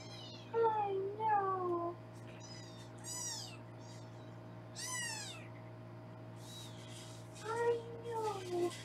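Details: Foster kittens in Los Angeles, being weighed indoors; loud, clear mews, some lower and drawn out with a falling tail, others short, high and rising, calling in bursts with pauses, over a faint steady hum.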